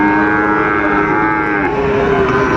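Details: Sahiwal bull calves up for sale at Amabari market, Dinajpur, Bangladesh, 12 September 2025. A steady, sustained lowing tone holds level, then drops slightly near the end, set against continuous market crowd noise.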